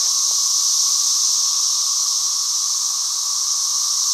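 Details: A dense cicada chorus holds a steady, shrill, hiss-like buzz throughout without any pause. One faint click comes early.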